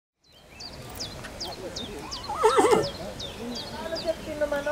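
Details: Colt sired by Carantas, shown at a foal presentation; one wavering whinny rising and falling mid-clip, with chirping birds and an announcer speaking in German.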